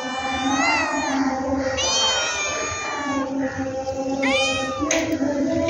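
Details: Cat meows come in three or four long, bending cries, each swelling and dipping in pitch, with a steady low hum beneath and a sharp click near the close.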